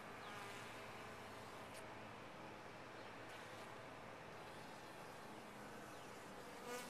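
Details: Honey bees in a top-bar hive give a constant droning buzz, with brief clicks and faint high sweeps scattered across the short stretch.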